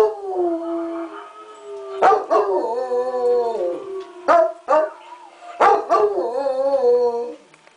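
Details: Male Bluetick Coonhound howling at night: a long steady tone, then repeated loud bawling howls that break sharply and slide downward, each lasting about a second or more, with brief breaths between.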